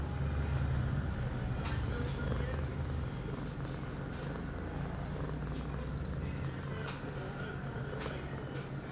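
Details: Pia, a young female cat on heat at eight months, filmed September 23, 2011 after her first birth control dose; loud close purring, strongest at the start and easing slightly, with faint background murmur.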